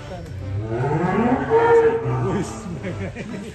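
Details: A giant fat beef cow lowing in a deep, drawn-out moo that swells and fades over about two seconds, with people talking close by.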